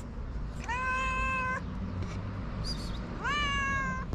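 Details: Hungry homeless street cats in Morocco. Two long, steady meows, the first flat and drawn out, the second rising at the start before levelling off, with a faint brief squeak between them and soft low background hum.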